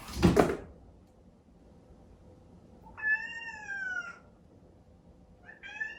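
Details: Chatoran, a cream Exotic Shorthair kitten born 15 April 2019, cries indoors in the early morning after a 4 a.m. breakfast, wanting its owner asleep in a separate bedroom. A loud thump comes first, then one long falling meow and a short second one.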